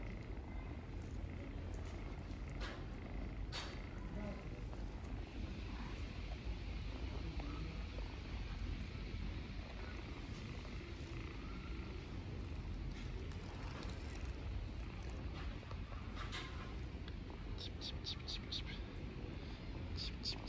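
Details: Homeless ginger kittens living on the street in Istanbul, fed as strays, purring as they stay close and don't want their feeder to leave; a steady low rumbling purr runs throughout, with faint human voice and brief higher clicks and rustles.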